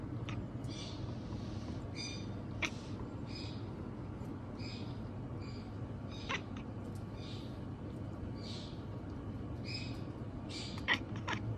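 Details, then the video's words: Male pet cat chattering quietly at night, a long string of soft, short 'nyanyanya' meows repeated in quick succession with small clicks between, set against constant low room hum. "夜中に「にゃにゃにゃにゃ」と呟き始めた猫が可愛すぎる cat that meows “nyanyanyanya" is just too cute."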